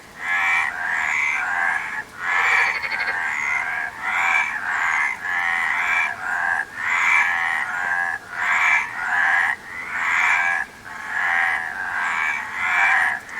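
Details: Frogs calling in a continuous chorus, rough pulsed croaks stacked closely together with regular short drops in volume, the rasping pattern holding steady throughout.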